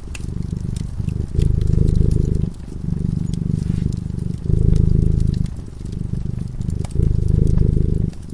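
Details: Low vibrating purr from a cat dozing in front of a crackling fireplace, alternating louder and softer breath phases every second or so, accompanied by frequent crisp crackles of burning wood.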